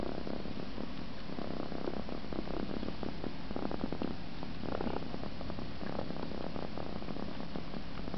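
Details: An Egyptian Mau cat purrs steadily while sucking its paw, a low continuous rumble with a soft pulsing rhythm.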